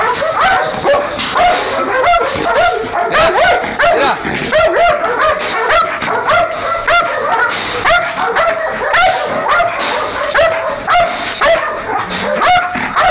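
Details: Belgian Malinois guard dogs in Nauplion, Greece, kept to guard an industrial site after dark. They bark and yip excitedly, about two sharp barks per second in a steady stream, with a handler's voice faintly behind.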